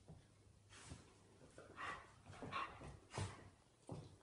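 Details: Irish Terrier puppy, a 10-week-old female, play-fighting with a 5-year-old male of the breed. Short, harsh growly barks and snarls burst out roughly every half-second to second, with quieter rumbling between them.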